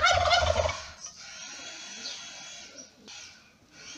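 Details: Newborn kittens born in May to Lady Ginger, a ginger mother cat, crying while she feeds them; one loud, strained, harmonic mew lasting under a second opens the clip, followed by soft breathy rustling.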